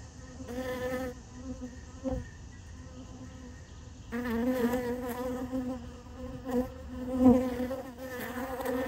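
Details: Honey bees feeding on sugar water placed in a piece of honeycomb, more arriving as it gets crowded; steady low hum with wavering wingbeat buzzes that swell louder after four seconds, plus a few soft knocks.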